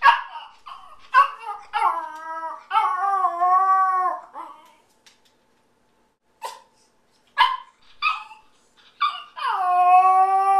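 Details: Yorkshire Terrier puppy left home alone, howling because it misses its owner; wavering, rising-and-falling howls in bursts, separated by short yips and silent pauses, ending with a louder sustained howl.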